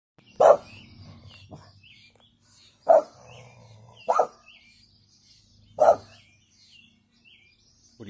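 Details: Female brindle American Staffordshire Terrier giving a weak warning bark: four short, clipped barks spaced irregularly about one to two seconds apart, with bird chirps faintly in the background.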